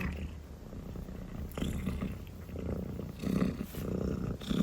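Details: Drowsy calico kitten purring while yawning; continuous deep purr with swelling, breathy pulses every second or so.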